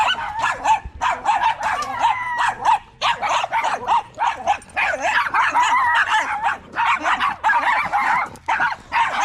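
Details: Staffordshire Bull Terriers, males, vocalising together at a park on a long evening in a 'wolf pack chat': dense, overlapping whiny yips and howl-like yowls in rapid bursts, barely pausing, with short gaps throughout.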